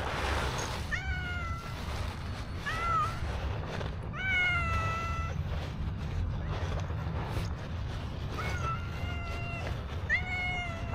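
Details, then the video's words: Street-dwelling black stray cat begging for food with about six meows, short and longer ones that rise then fall in pitch, coming in clusters against a constant low urban rumble. "Adorable Black Cat that Live on the Street Constantly Meow for Food"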